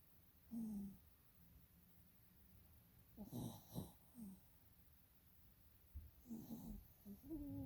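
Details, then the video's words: Dog snoring in its sleep, eyes rolling. Short whistled snores alternate with harsher, noisier snorts, about every three seconds, over low steady breathing. "Snoring dog with eyes rolling"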